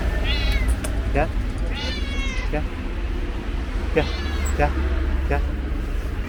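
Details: Orange and white stray cat at a bus station meows repeatedly, drawn-out rising-then-falling cries with a few shorter calls between, over a steady rumble of idling vehicles and nearby voices.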